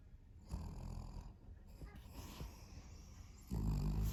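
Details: Vanilla, a Pomeranian-Chihuahua mix dog, snores while asleep: low, rough rumbling breaths repeat in irregular pulses, then grow loud and dense near the end.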